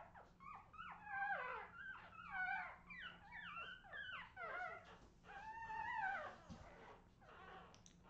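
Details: Australian Terrier puppies, recorded in 2018, crying in a chorus of high whining whimpers, each bending down in pitch, overlapping in waves every second or so above a faint steady hum.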